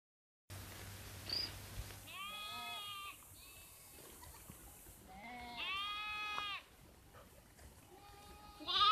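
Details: Sheep bleat in long, wavering, nasal cries, one after another, with people talking nearby; the herder, from Mandi district, sells the sheep at market for meat.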